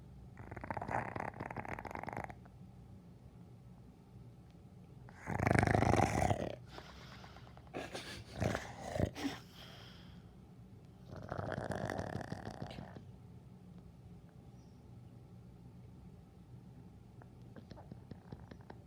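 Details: A dog snores in long, rough, noisy breaths that rise and fade irregularly over several seconds, with a louder burst midway and quiet breathing gaps between.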